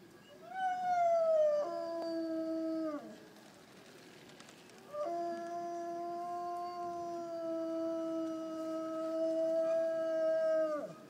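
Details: A Dalmatian outside a shop on a town square in Lund, Sweden, whines in long, drawn-out tones that hold steady, then sag and fade, a distinctive repetitive lament heard for a long time across the square.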